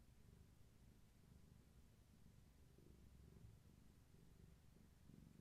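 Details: Gaia, a long-haired tabby cat pregnant with many kittens, purring indoors in the afternoon while held steady and rubbing herself against a person; a soft, low, continuous rumbling purr with a steady pulsing texture and no other clear sounds.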